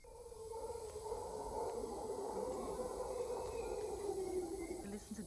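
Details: Howler monkeys give a steady, droning roar that swells and holds without a break, near Shelter Bay Marina, Panama, where they are heard every morning and evening.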